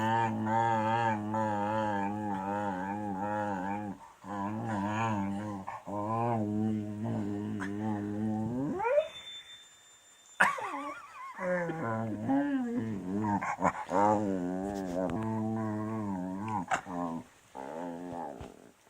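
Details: A beagle grumbles and whines in long, wavering, voiced complaints while having its tummy rubbed, which it dislikes, with one sliding rise into a high whine.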